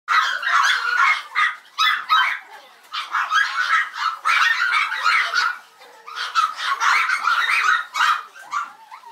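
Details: A Yorkshire Terrier at a breeder barks shrilly and almost nonstop in rapid, uneven bursts, recorded November 16, 2012, at 21:51.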